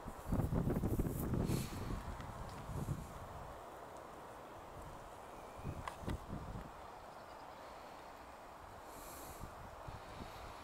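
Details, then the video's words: Red deer hind in Bristol, England, on 21 September 2015, giving a surprised grunt-bark that warns her companions of a nearby film-maker: a loud, low, gruff burst at the start, a fainter grunt about three seconds later, then quiet outdoor rustling. "GRUNT-BARK HIND - RED DEER (Cervus elaphus)"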